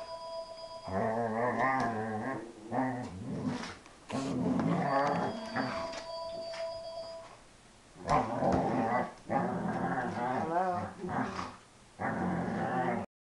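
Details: Pet Dobermann while playing, making moo-like, cow-like growling sounds: long, wavering, low moans in bursts of one to two seconds, separated by short pauses, roughly six drawn-out vocal runs in total.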